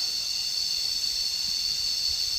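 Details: Unvarying cicada chorus, a bright continuous high-pitched whine with no pauses, heard by someone lying down to listen on a nature outing.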